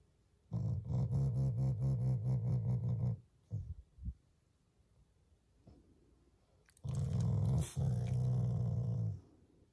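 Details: Shiba Inu growling as a show of affection toward its owners, not anger, inside a home; a long low throaty growl pulsing rapidly for about two and a half seconds, a brief pause with soft sounds, then another extended rumbling growl.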